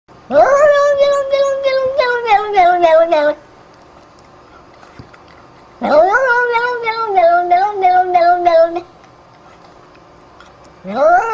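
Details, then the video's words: Cat making a funny, unusual sound: long loud yowling calls of about three seconds each, rising at the start then wavering and breaking into stuttering pulses as they fall, repeated after a short quiet gap; a person speaks briefly afterwards. "Funny sound- cat"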